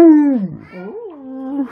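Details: Pet Alaskan Malamute named Tonka watching from his window, voicing a low growling howl indoors: a strong opening note dropping in pitch, then a rising-and-falling yodel-like wobble that settles into a steady, slightly swelling tone.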